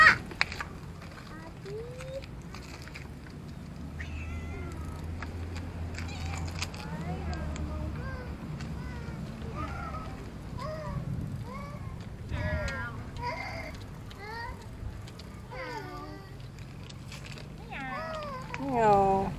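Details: Outdoor cat in a residential area rubbing against objects to be petted gives a long run of short, chirpy mews, some rising, some falling, roughly every second, with a person talking quietly and urban background noise.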